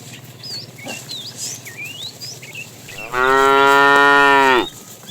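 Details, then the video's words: A fat tame cow in a herd being driven in the afternoon, described as calling the female: one long, harmonic, slightly rising then level moo lasting about one and a half seconds, with many chirping birds whistling throughout. "The funny sound of a fat cow calling the female"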